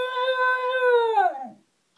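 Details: A male Shiba Inu that hates alarm clocks gives a drawn-out, wolf-like howl at an alarm clock, holding steady, then sliding down and fading.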